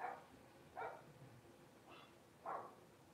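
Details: Blenheim Cavalier King Charles Spaniel puppies in their home pen at Red Barn Cavaliers, five littermates born at New Year's. Four short, breathy puppy barks, spaced roughly a second apart, over faint room noise.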